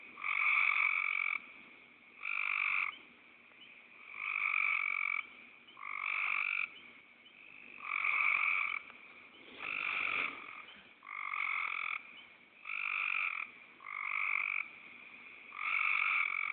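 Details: Steady, buzzy, snoring croaks from a frog, each lasting about half a second to a second, come roughly every one to two seconds in a regular series. The background is quiet.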